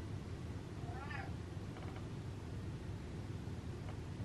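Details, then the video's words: A house cat called Butters, gassy and walking away from its owner, lets out one clear arched meow early on, followed by faint murmured human speech and low background hum. "Squeezing Out The Farts Meows"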